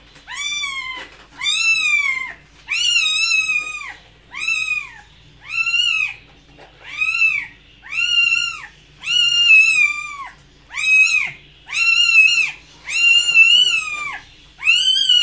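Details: Cat meowing over and over, about eleven arched, nasal meows in quick succession, each rising then falling, some slightly longer and more plaintive, with brief silences between.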